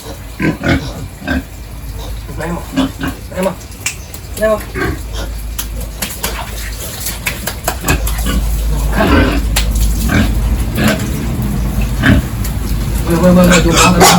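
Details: Pigs on a village farm during morning feeding and pen cleaning, giving short, low, repeated grunts in quick bursts; from about eight seconds a steady rush of water or hosing swells beneath them as the pens are cleaned.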